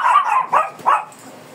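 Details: Three quick yapping barks, the first drawn out and the next two clipped, from a feisty Shih Tzu resisting grooming, then quiet.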